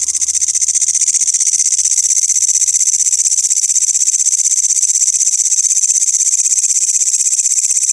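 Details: Loud grasshoppers giving a continuous, high-pitched buzzing chorus, finely pulsed at about four pulses per second and steady from start to finish, with no other clear sounds.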